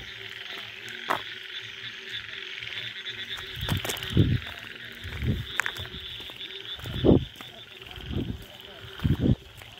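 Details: Indian frogs in a forest late at night after the first rain give mating calls: low, throaty croaks in short bursts every second or two, with echo, against a steady insect hum.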